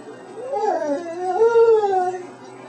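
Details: Roxanne, a 12-year-old pet dog taught to say "I love you", answers her owner's prompts with a drawn-out, wavering howl in two rising-and-falling phrases, the second louder and longer, mimicking the words.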